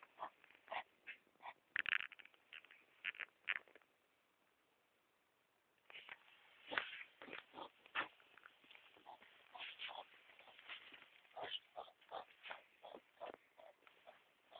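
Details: Hedgehogs making disturbing noises, recorded on a mobile phone: irregular clusters of short, harsh, huffing and clicking bursts, a louder flurry near the start, a two-second pause, then denser rapid snorts.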